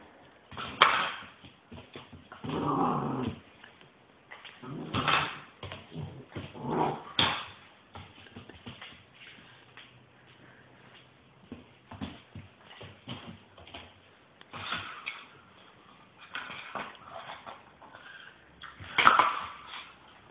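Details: Rottweiler giving a run of irregular vocal bursts over twenty seconds, rough growly sounds mixed with higher whining, strongest near the start, around three to seven seconds and again close to the end, with quieter gaps between.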